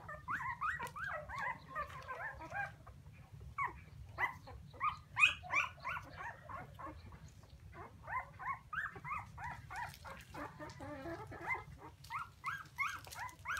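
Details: Several puppies crying for their mother, an overlapping chorus of rapid, high-pitched yelping whines in bursts with brief pauses, over a constant low background hum.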